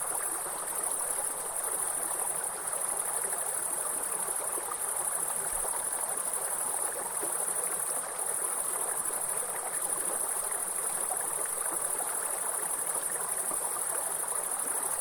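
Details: Grasshoppers in a forest sing a constant thin, high whine layered over the steady splashing rush of a waterfall stream, with slight pulsing in the insect tone and no pauses.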